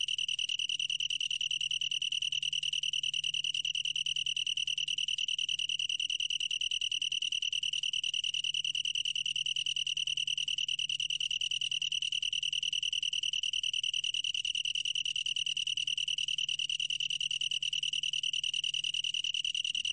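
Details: Continuous shrill trill of a long-tailed tree cricket, even in pitch and loudness throughout, with a clean tonal quality and a quiet background.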